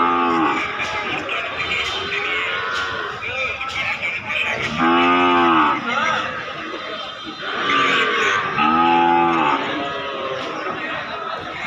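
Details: Cattle at the Bosunia livestock market in Domar upazila, Nilphamari district, Bangladesh, during nonstop rain; loud harmonic moos repeat every few seconds, each swelling then fading, amid rain noise and distant voices.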